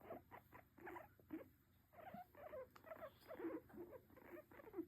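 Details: Pet guinea pig resting on its owner's lap, giving soft, short chirping squeaks in quick uneven bursts, some slightly rising, with a faint steady hum behind.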